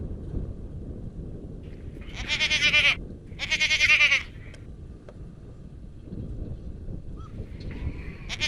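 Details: Garut goats bleating: two loud, quavering bleats about a second apart in close succession, then quieter background with a faint distant call and the start of another bleat at the end.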